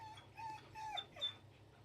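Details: Dobby the dog, in a live training session and being told to sit, lets out three short, level, high whines in quick succession, followed by a brief breathy sound, over a steady low background hum.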